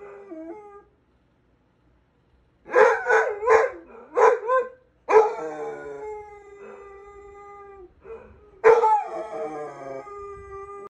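A Basset Hound gives deep, mournful howls broken by short yelping bursts.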